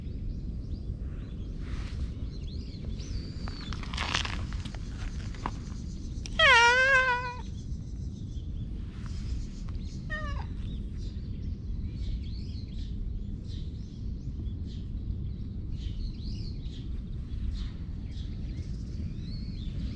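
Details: Friendly black cat met in a park gives one loud, wavering meow with a drawn-out, quivering pitch, then a shorter, fainter call a few seconds later; small birds chirp steadily in the background over a low outdoor rumble.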